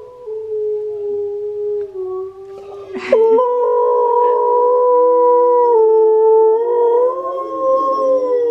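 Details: Howling by Steel the Husky, with Key the husky reacting to the singing: a lower drawn-out tone, a sharp break, then a brighter, held howl that bends upward near the end.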